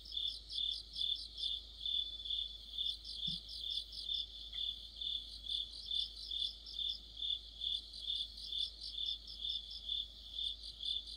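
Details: Autumn night chorus led by crickets: shrill, metallic chirping repeated in even pulses a little over twice a second, with one brief faint click partway through.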